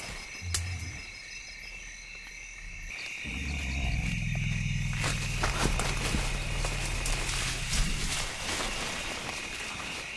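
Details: African forest elephants in rainforest. A deep, drawn-out rumble with layered low tones swells for about four seconds after a brief low note. A constant high insect hiss runs underneath.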